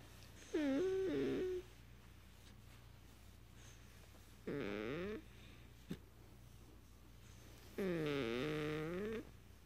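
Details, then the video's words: A Beagle makes what is called a purring sound: three drawn-out, tonal moaning whines about a second each, the first level, the later ones wavering and bending, with quiet pauses between in a small indoor room. "the "Purring" Beagle"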